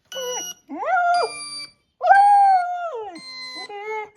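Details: Six-month-old Border Collie howling in reaction to a played sound that dogs respond to: wavering, drawn-out tonal howls that rise and then slide down. Steady electronic tones sound between and under the howls.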